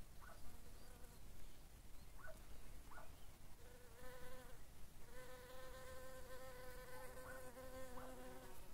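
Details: ['Buzzing sandy carder bee, a rare bumblebee identified by its voice: short faint chirps early, then a low droning hum swelling in and out, steadying into a long wavering buzz in the second half.']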